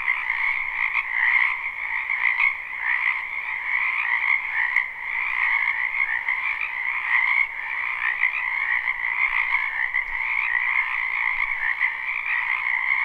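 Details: Frogs calling in a spring wetland, live recording with no looping: a sustained, dense wall of croaks layered in two pitch bands, flickering quickly throughout with a brief dip in loudness near the middle.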